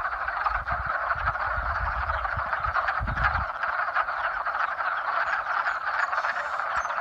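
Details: Massed frogs giving mating calls in spring, a constant buzzing chorus of countless overlapping voices, with low rumbling knocks during the first half.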